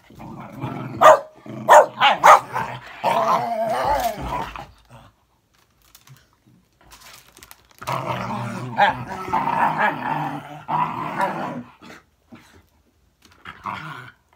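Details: Bedlington whippet facing off against a Patterdale: a burst of sharp barks, then rough, raspy growling and snarling that runs for several seconds after a short quiet gap.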